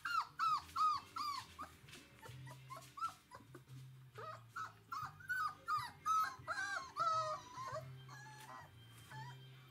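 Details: Litter of 22-day-old Galgo Español puppies at a kennel, September 2017: rapid series of thin, arched whining squeaks, some wavering and bent, coming almost continuously from several pups, with soft music playing underneath.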